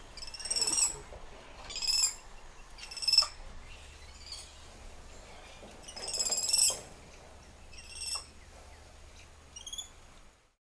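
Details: Spider monkeys calling among lush treetops: a series of high, tremulous harmonic cries, each about half a second long, repeating irregularly at varying loudness over a quiet background.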